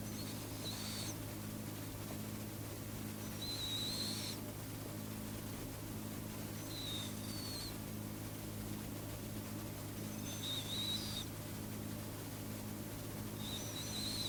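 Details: Sleeping cat giving soft, squeaky breaths, a brief high whistling hiss roughly every three seconds over a steady low electrical hum.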